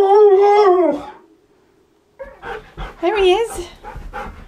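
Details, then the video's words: Indoor Siberian Husky imitating a washing machine, starting with one drawn-out wavering whine-howl that fades to silence. It is followed by a burst of choppy, warbling yips and whines mixed with a person's voice. "Weird Husky PERFECTLY Copies Washing Machine!"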